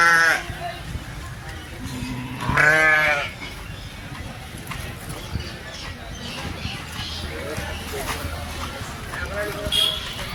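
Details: Sheep bleating at a crowded Sunday village livestock market at Chilpur Gutta where sheep and goats are sold; two wavering, nasal bleats, one at the start and a louder one near three seconds, amid steady crowd chatter and speech.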